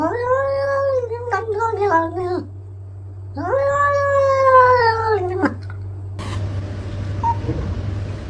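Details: Domestic cat giving two long, drawn-out meows, each held for about two seconds with a slight rise and fall, over a constant low hum, ending with a rustling noise.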